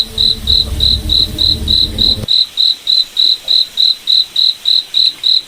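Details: Regular high-pitched cricket chirps, about three and a half per second, in a forest at night. A low rumbling hum covers the first two seconds, then stops.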